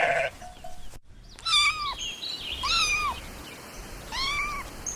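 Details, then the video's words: Kittens stalking and chasing butterflies on grass give three high, arched meows about a second and a half apart, each sliding up then down, with a rustling background. "Adorable Kittens Stalking and Chasing Butterflies on the Grass – Meowing Sounds"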